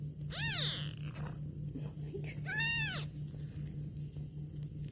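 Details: Domestic cat, a mother with her kittens, meowing while eating indoors: two clear arched meows about two seconds apart, the second louder and longer, over a steady low electrical hum.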